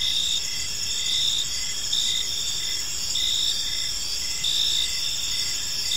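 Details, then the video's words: Crickets chirping on an evening in a peaceful park, a dense high insect chorus with steady pulsed trills and short repeated chirps about twice per second under a continuous shimmering drone. "Cricket Sounds in a Peaceful Park"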